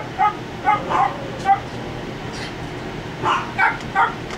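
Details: Young puppies, Penn and Stan, 3.5 weeks old from Wendy's litter, newly walking, let out quick squeaky yips in two clusters separated by a quiet pause, against a constant low background hum.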